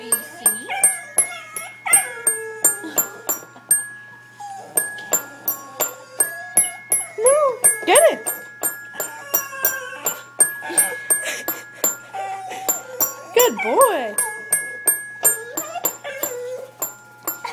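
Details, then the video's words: Dapple Dachshund named Dapper Dan indoors at a toy piano, pressing keys and singing along: drawn-out rising and falling howls between bright tinkling piano notes, with an owner praising and talking throughout. "Dapper Dan the Dapple Dachshund plays the piano and sings"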